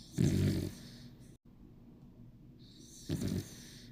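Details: Bichon Frise named 楊比比 asleep, giving two rumbling low snores about three seconds apart, each under half a second, with soft breathing noise between them.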